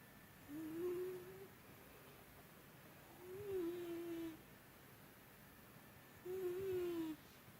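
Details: Sleeping cat Byuri, snoring more heavily than usual, produces three wavering, whistle-toned snores about a second long, recurring roughly every three seconds in a quiet indoor setting.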